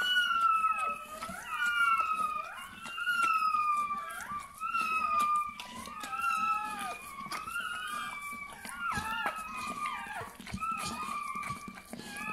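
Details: Bernese Mountain Dog puppy just born, crying in a long series of high, nasal whines, each a short level tone bending down at its end, repeated roughly every second with brief pauses between bouts.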